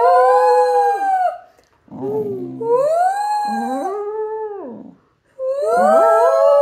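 A Fox Terrier howls in long, wavering notes that rise and fall, broken by short pauses.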